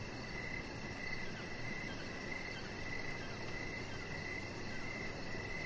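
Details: Evening chorus of crickets heard from a deck: evenly pulsed, high-pitched chirps repeat without pause, joined by a fainter rapid trill above, with a steady low hum of background noise.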